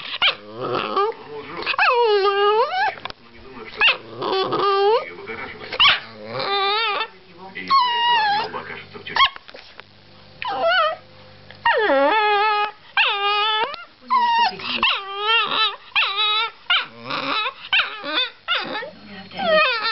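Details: Chihuahua protecting his girlfriend, giving a dense run of high, wavering yaps and whining growls that rise and fall in pitch, in bursts with short pauses between, and quiet speech heard in the background.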